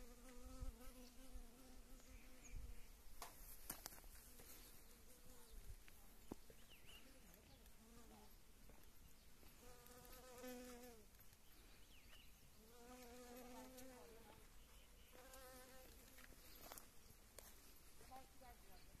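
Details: Western honey bees foraging on blooming wild mustard after winter and early spring rains, a steady, low hum that swells and fades as they fly close.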